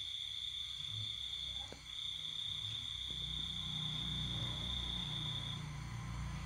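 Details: Night-time cricket in a rural home during the pandemic season, the household asleep: one continuous high, thin trill holds steady for most of the clip before fading near the end, over a low rumbling background.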